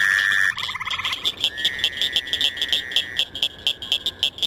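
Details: Fowler's toad gives a nasal, buzzy bleat lasting a second or two over a pulsing frog chorus, recorded as the season warms from April into May, when spring peepers and chorus frogs are no longer calling.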